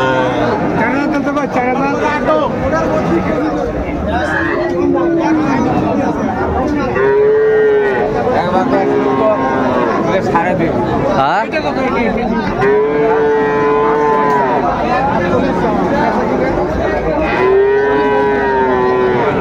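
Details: Recorded at Raniganj market in Dinajpur on 12 July 2024, Friesian and crossbreed heifer calves give long, arching moos, four or five clear calls spaced a few seconds apart, amid constant market hubbub and human voices.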